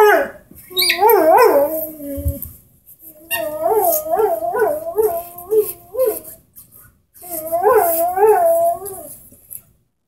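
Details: Young Airedale Terrier, ten months old, howling along with its orange squeaky ball: three bouts of undulating, yodel-like howls with rhythmic rises and falls in pitch, separated by short pauses, with soft background rustling.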